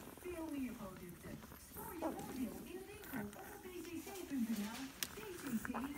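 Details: Weimaraner puppies 11 days old whimper and squeal in thin, wavering tones that rise and fall.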